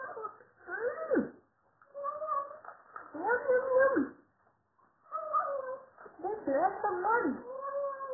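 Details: Hungry male Siamese cat kept as a pet, calling around feeding time: a run of about five wavering, bending meows and yowls with short gaps, some rising then dropping sharply, in a quiet room.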